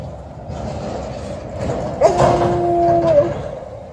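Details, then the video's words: Alaskan Malamute Liza greeting her returning people with a short, flat, even howl held for about a second over a noisy, rumbling background. "Happy Alaskan Malamute is howling when her people came back"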